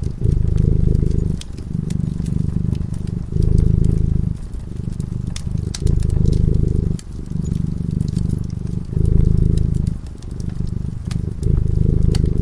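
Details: Cat purring while sleeping in front of a crackling fireplace: a low, steady rumble that swells and eases in cycles of about two seconds, with sharp fire crackles scattered throughout.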